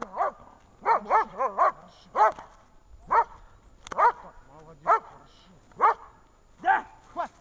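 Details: German shepherd female at protection training on 10 February 2019, barking steadily: loud, harsh barks in quick doubles and triples, then single barks spaced roughly a second apart, with faint voices between them.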